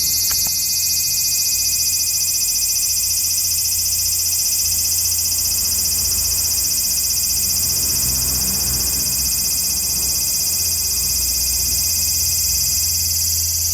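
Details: Large brown cicada (aburazemi) calling in early September 2015, late in the season when few remain; a dense, steady high-pitched sizzling drone fills the whole recording without pause, with a faint low hum underneath.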